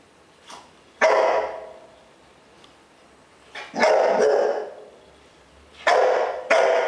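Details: A bull terrier named Piggy barks at his own reflection in his water bowl: loud, harsh barks in uneven bursts, a single bark, then a cluster of two or three, then a closing pair, with quiet gaps between.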